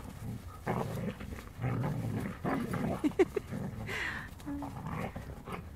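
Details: Playing Siberian Huskies, male dogs courting a female: low rumbling growls and grunts roll on almost continuously, broken near the middle by a few short squeaky yips.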